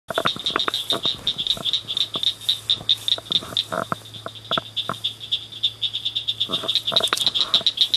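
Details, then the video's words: Several small frogs calling at night in a roadside culvert by a ditch, a dense run of rapid high chirps repeated many times per second, with scattered lower clicks and a faint low hum. "Tunnel Frogs"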